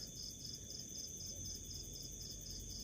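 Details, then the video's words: A house cricket gives continuous rapid high chirps, pulsing evenly in brief trains throughout, over a constant high-pitched hum and faint low rumbling noise. "house cricket chirping bug making sound"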